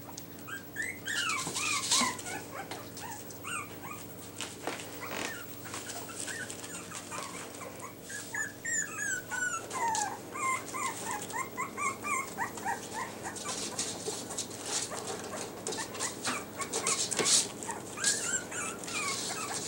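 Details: Several Yorkshire Terrier puppies in new numbered Velcro collars keep up a busy stream of high whimpers, squeals and short yips, overlapping and irregular, with rustling and a steady low hum underneath.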